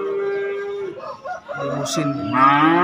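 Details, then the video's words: Cattle at a market in Indonesia selling calves and young bulls: a flat, even lowing note that breaks off near one second, then a rougher, rising second moo amid market chatter. "SAPI PEDET DAN BAKALAN JANTAN"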